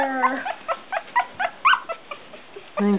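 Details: Week-old Smooth Coat Collie/Coon Hound/Pomeranian cross puppies, a litter named Bella, Kooper and Boy: a run of short, high squeaks repeated several times a second, one rising-falling squeal in the middle, a longer whine at the end, with quiet human voice.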